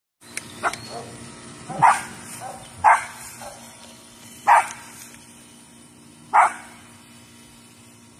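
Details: Yorkshire Terrier chasing after a deer, with a Shorkie sister nearby, gives sharp barks spaced one to two seconds apart, four loud yaps over a low steady background hum.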